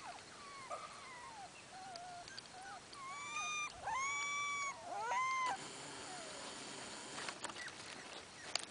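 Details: Miniature Australian Shepherd puppies of one litter: soft scattered squeaks, then several loud sustained whines with strong harmonics, arched and wavering, followed by quieter chirps and rustling.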